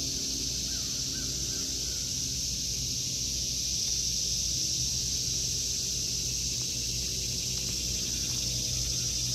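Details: Cicadas singing in a vegetable garden in August 2023: a continuous, unbroken high-pitched droning buzz that never pauses, over a steady low rumble.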